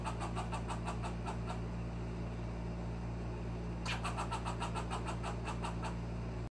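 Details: A baby squirrel sounds its alarm for the first time, giving rapid, sharp chucking notes in bursts to warn of a cat in the backyard, over a low engine hum.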